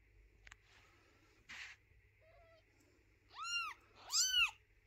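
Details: Mother cat moving her kittens and refusing to let their little house be cleaned; after faint rustles and clicks, two loud, arched meows close together near the end.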